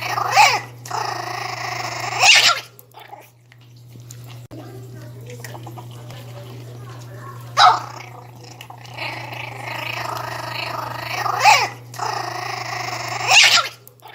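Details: A 60-day-old Pinscher puppy gives high, rasping growls in short bursts while guarding its food.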